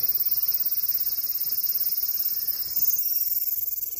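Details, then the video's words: Shrill cicada trill with a fast pulsing rhythm, about three to four throbs per second. The pitch band shifts slightly upward near three seconds. "Cicada Sound"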